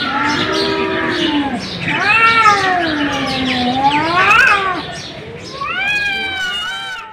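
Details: Cat cries in slow, undulating meows that climb and sag, a long drawn yowl in the middle followed by a higher, thinner mew at the end.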